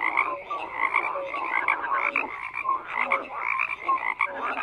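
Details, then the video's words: Frogs croak in a busy overlapping chorus, grating pulsed calls with scattered short tonal notes, the din steady from start to finish. "FROGS CROAKING"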